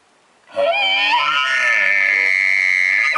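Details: An Arizona bull elk bugles from about two yards away during an elk hunt, a low rising note that climbs into a long, high, piercing whistle.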